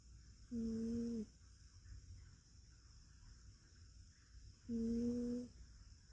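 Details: Rescued cat from a multi-cat home, asleep using a person's arm as a pillow, snoring loudly: two droning, hum-like tonal snores about four seconds apart, each under a second long, in a quiet indoor room.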